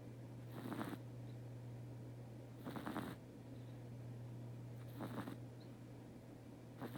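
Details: Sleeping house cat Teto snores steadily, with four rough, airy snore bursts roughly every two seconds. A constant low hum runs underneath in a quiet indoor room.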